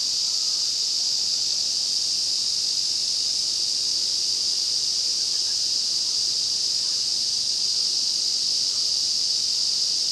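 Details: A midsummer forest in Shinano, Nagano, Japan, in August, where Ezo cicadas sing together. A loud, uniform, high-pitched rasping drone runs unbroken from start to finish.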